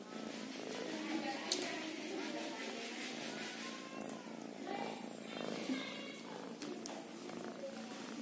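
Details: A kitten purring steadily in a continuous low rumble, with a person's voice talking over much of it and a few sharp clicks.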